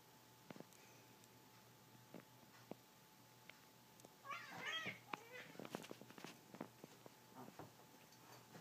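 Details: Cats in a friendly play fight indoors, one voicing a brief whiny, wavering meow-like yowl midway, set among soft thumps, taps and scuffling, with a steady low electrical hum underneath.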